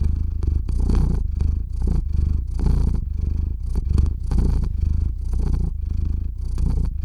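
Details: Theo, a pet cat, purrs close to the microphone while settling to sleep, recorded via RODE NTG-3 and Zoom H6; a rich, low rattling hum with rhythmic in-and-out breath swells, slightly uneven in strength.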